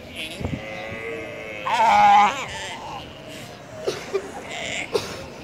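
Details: Galapagos sea lion in Ecuador's Galapagos Islands uttering one loud, harmonic, bleating cry about half a second long, with a few short clicks and knocks around it and a steady background hiss.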